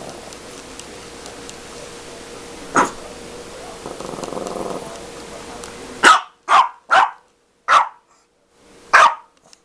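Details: Dog playing with a cat toy indoors: one sharp bark, a stretch of quiet rustling, then five loud, clipped barks in quick succession over the last four seconds, spaced about half a second to a second apart.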